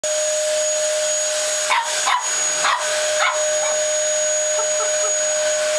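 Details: A Lhasa Apso puppy, seeing a vacuum cleaner for the first time, gives a few high, sharp yapping barks over the vacuum's steady roar.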